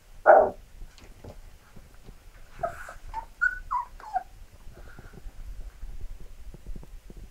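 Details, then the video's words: Labrador Retriever puppies: one loud sharp yelp opens, followed by a few short rising whines and squeaks, then quieter shuffling and soft knocks. "Labrador Welpen"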